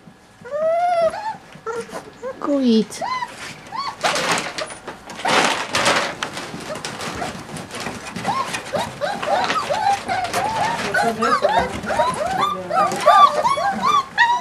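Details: Border Collie puppies indoors in December, whining and yelping in high, arching cries that rise and fall, many overlapping, with bursts of broadband shuffling noise and a woman coaxing the mother to feed them.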